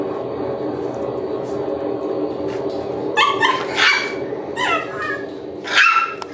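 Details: Shiba Inu puppies: after several seconds of steady background hiss, bursts of high, bending yelps and squeals arrive in quick pairs toward the end.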